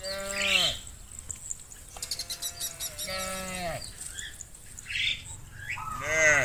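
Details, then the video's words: Cattle in the fields call their friends home to the barn with a few medium-pitched, sliding moos spaced over several seconds, with faint rustling between calls. "Sound of cows roaming the fields calling their friends to come home to the barn"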